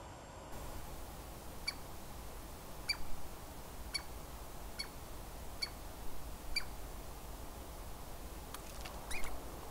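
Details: A Douglas squirrel at the Squamish River Estuary gives sharp, high chips spaced about a second apart over a low rumble.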